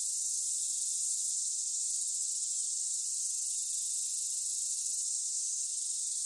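Cicadas sing in a steady, high, hissing drone that holds unbroken throughout.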